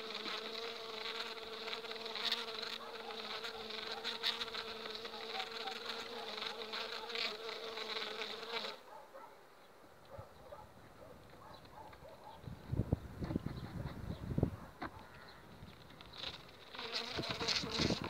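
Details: Overwintered honey bee colony on five frames, developing two weeks before acacia blooms: a thick, continuous droning hum for the first half, then quieter handling knocks and thumps before the buzzing swells again at the end.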